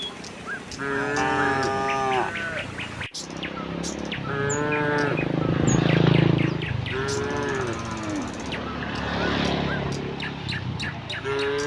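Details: [1, 'yes', 'moo', 'Herd of tame cows walking leisurely toward a wide pasture on a quiet, sunny morning; several long, drawn-out moos overlap and follow one another, with quick high ticking and chirps of small birds throughout.']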